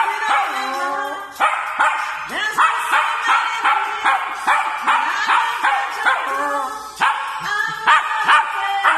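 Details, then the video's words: A dog singing along to music: drawn-out, wavering, howl-like tones that slide up and down under a steady, rhythmic musical backing with repeated beats. "the singing dog"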